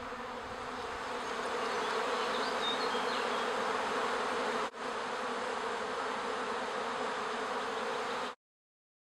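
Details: Honey bees of a wild colony sheltered for twenty years beneath the roof of the Villa le Bosquet apiary school in Calvados, Normandy, buzzing in a loud continuous hum, briefly dipping midway, then cutting off abruptly near the end.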